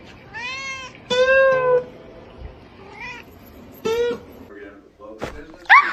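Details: Kitten giving a run of separate meows, some brief and one drawn out and wavering, spaced a second or two apart, with quiet human voices and faint background sounds between them.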